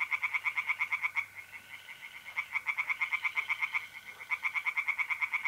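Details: A close, loud tree frog chorus at a North-East Italian pond on a mid-April night: quick rattling pulses, several per second, with a brief lull in the middle. The faint continuous trill of mole crickets sits underneath.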